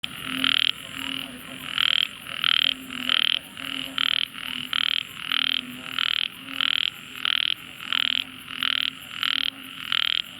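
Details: A tiny frog gives loud, harsh, buzzy notes in a fast, steady series, about two each second.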